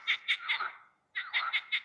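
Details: In the evening by forest water, a male frog gives loud, harsh, pulsed croaks in quick runs among other calling frogs, calling for a mate.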